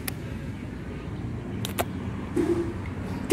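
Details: Low rumble of passing vehicles in an urban outdoor setting, with a few brief clicks and a short faint mid-pitched sound near the end; no clear animal voice stands out.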